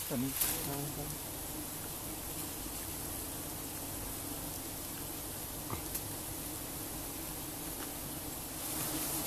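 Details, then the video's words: Giant honeybees swarming during a honey harvest give a steady, low, droning hum that runs unbroken through the whole stretch, with a brief human voice near the start and a few sharp knocks. "Harvesting Honey from Giant Honeybees"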